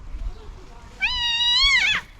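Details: Angry domestic cat, upset by another cat, gives one long, loud, level meow of about a second that bends upward and breaks off roughly at its end, with soft rustling before it.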